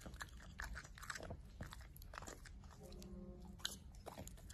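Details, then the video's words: Pembroke Welsh Corgi eating food indoors: loud, crisp crunches and bites in quick irregular bursts, with a brief faint tonal hum in the middle and a low room rumble underneath. "Cutest Corgi Eating Food"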